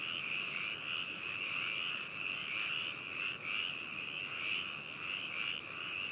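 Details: Frogs in Hakushu, Hokuto City, Yamanashi, Japan, recorded binaurally on 4 May 2018: continuous pulsing trill chorus with soft swells, about one louder croak per second rising above the background.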